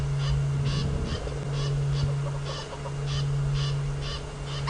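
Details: A squirrel calls from a tree at sunset on June 9, 2017, while Hosana, a young male leopard, watches it from below. Short buzzy chucks repeat about twice a second over a steady low vehicle engine hum.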